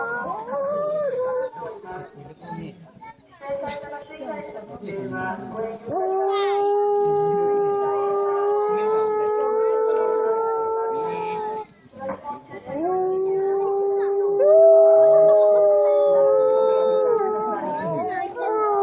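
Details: Howling by captive wolves at Asahiyama Zoo, recorded during winter night opening hours. Irregular noisy sounds open the recording, then a long chorus of level, overlapping howls follows. It breaks off once and resumes, with one voice climbing higher.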